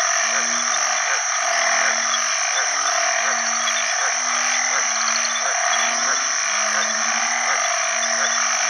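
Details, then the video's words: Banded bullfrogs, known in Isan as ueng khi khan, call for mates in water after heavy rain at the start of the rainy season. Deep, nasal moans repeat about every second from overlapping callers, over a dense, shrill chorus of other frogs. "อึ่งอ่างร้องหาคู่ bullfrog call"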